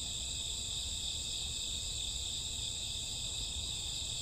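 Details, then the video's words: Crickets with grassworms singing at midnight in the summer or autumn night, an even, ringing high trill sustained without pause over a quiet low-frequency murmur. "Cricket sound 2 hours, summer autumn night grassworm lullaby"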